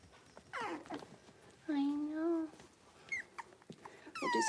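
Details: Young Cavalier King Charles Spaniel puppies in a pen, playful and busy: a steady tonal whine near the middle, drawn-out falling squeals before and after, and a short high yelp, with faint human speech in the background.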